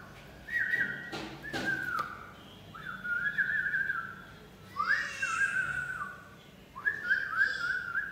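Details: A two-month-old pit bull puppy at play gives high, thin whines in drawn-out bouts about every two seconds.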